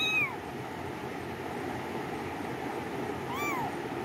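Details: Two bright, bending meows from a cat, one at the very start and another after roughly three seconds of quiet, with low steady hiss underneath.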